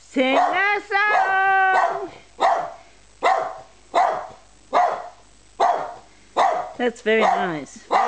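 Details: Twelve-year-old Australian Terrier singing along, recorded 26 October 2010: short yowling, yelping howls with wavering harmonic pitch, repeated in bursts about every second, with a woman speaking encouragement between them.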